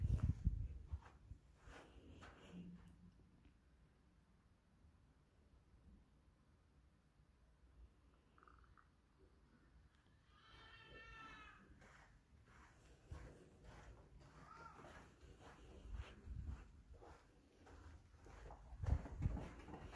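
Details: A domestic cat refusing to go back inside gives one drawn-out, wavering meow about halfway through, then a shorter, fainter call a few seconds later, with soft rustling and low thumps throughout.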